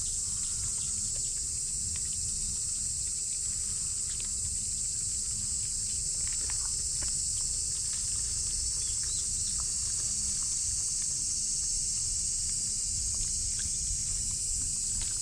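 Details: Shrill, unbroken cicada song dominates near a micro pig, a flat high hiss lasting throughout, with sporadic taps and gentle footfalls in the foreground.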